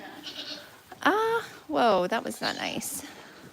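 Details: Goat at The Willful Goat Farm & Home during a live broadcast: a short rising bleat, then a longer quavering, wavering bleat around two seconds in, with human speech and other farm noise mixed through.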